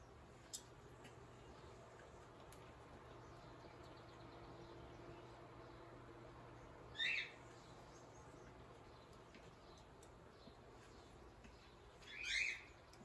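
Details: Male kinkajou Guinness feeding on a peanut butter sandwich for breakfast; a pair of short, high, chirpy squeaks about five seconds apart, separated by quiet hum and a few faint clicks.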